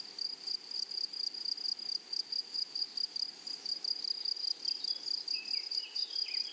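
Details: Meadow grasshoppers in the wild, prairie setting among flowers: rapid high-pitched pulsed chirps repeating about twice a second, with a few faint sliding whistles, likely distant birds, near the end.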